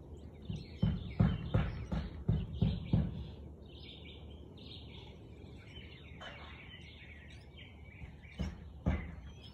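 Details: Siberian Husky barking at 4:17 pm on 13 March 2021: a quick burst of about seven sharp, deep barks in the first three seconds, two more near the end, with chirping birds throughout.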